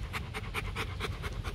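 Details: Stud Rottweiler Bruno at a kennel in Hoàng Mai, Hanoi, panting fast and evenly, about six breathy puffs per second, over low-pitched background rumble.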